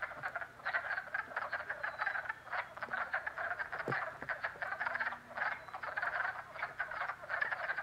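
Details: Spring frog chorus at a pond in Jackson, New York: many frogs giving dense, overlapping rapid pulsed croaks and trills, fluctuating in loudness and pausing briefly between bursts.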